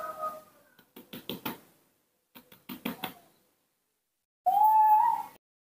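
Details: Newborn baby monkey raised in a home and later released, asking for milk. Two runs of soft rapid clicks or knocks come first, then one loud, clear, rising whistled coo lasting about a second.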